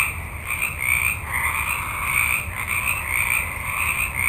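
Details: Frogs in a forest at night, a large group calling at once. A continuous rasping trill swells and fades in uneven waves, with a soft low background murmur.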